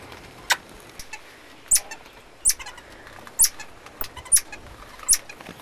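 A common marmoset gives sharp, high kissing smacks, a fear sound made when terrified.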